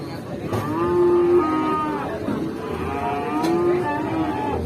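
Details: Cattle lowing: drawn-out harmonic moos come in two calls about two seconds apart. A steady, noisy background runs underneath, with faint voices and music nearby.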